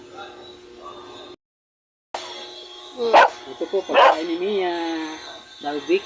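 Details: Aspin dog named Mia barking while being fed rice and barbecue with broth in the Philippines; two sharp, loud barks about a second apart, with a woman talking in Filipino around them and a brief silent gap earlier.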